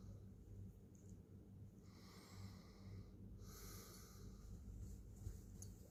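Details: A cat's gentle purr, deep and steady, pulsing with slow breathing rhythm; airy hissing phases mark several exhalations over about six seconds in an otherwise still indoor space.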